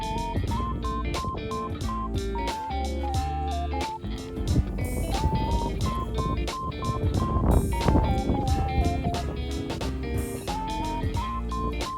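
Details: Upbeat guitar and bass music with a repeating melody plays throughout, and no animal is heard.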